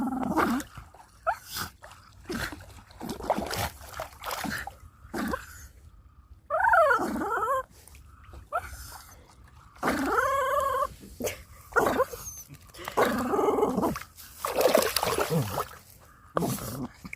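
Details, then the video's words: Dog tugging a toy while playing, making funny noises: throaty growls, wavering whining moans and rising-falling grumbles in irregular bursts, with rattling tug sounds between them. "Doggy tugging a toy, making very funny noises"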